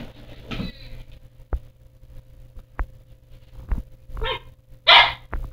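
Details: Pomsky, a Siberian husky crossed with a Pomeranian, giving a couple of sharp, high barks with bright harmonics near the end, after an earlier yelp, separated by sparse clicks and knocks in a quiet room.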